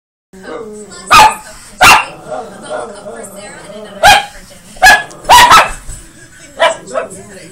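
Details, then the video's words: Chihuahua on the attack, firing off about six sharp, short, high barks spaced irregularly over seven seconds, with steady background music and people's voices underneath. "Chihuahua ATTACK!"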